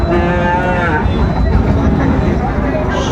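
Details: Sahiwal bull calves at Raniganj cattle market on 25 July 2024; a rich, harmonic moo in the first second, then fading into a crowded backdrop of chattering voices and traffic.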